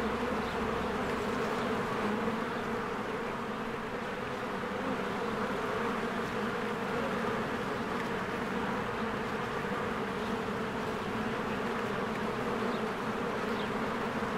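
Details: Honeybees in spring, many flying in and out of their hive among blooming flowers, make a dense, steady, low droning hum with a grainy texture and no pauses, and faint high chirps come through now and then.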